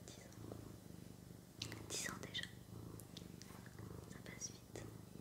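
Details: Low rhythmic purring from the house cat Sakura, pulsing steadily about three times a second under intimate whispering, with a few sharp clicks and rustles.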